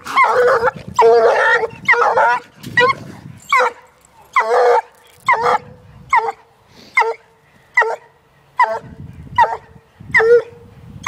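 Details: Young female Treeing Walker Coonhound, one year old, on a caged raccoon during only her second sighting of one. Rhythmic short chop barks, roughly one per second, with faint scuffling noise underneath.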